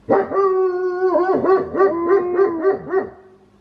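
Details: Pet wolfdog kept at home giving an unusual, quirky howl: a steady mid-pitched tone broken by rapid wavering, yodel-like dips and rises, roughly four wobbles per second, before fading out.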